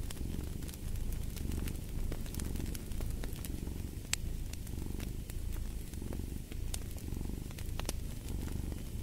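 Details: Continuous deep purring from a cat, pulsing softly with each breath, set against a fireplace whose crackles and occasional louder pops sound over the rumble.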